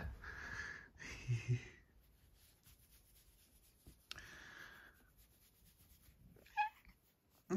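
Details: A female Maine Coon makes breathy huffing, hissing bursts and a brief chirp-like note while playing and nipping at a finger.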